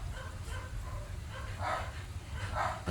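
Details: Pet Siberian Husky Maya begging as treats are shared out and saved for the next day; two brief, bright whine-yelps near the end, separated by about a second, with a low hum beneath.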